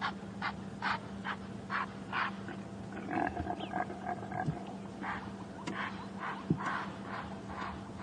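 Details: Sunrise on a crisp, cool morning of 18 May 2015 in the Sabi Sands, Djuma reserve, South Africa: a rutting male impala gives a series of harsh, rapid snorts running into deeper guttural grunts, over a steady low engine hum.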